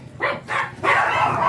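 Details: Ziggs, a blue Miniature Pinscher kept at a kennel in Manaoag, gives three short, bright barks in quick succession, the last drawn out slightly longer, recorded during a morning visit.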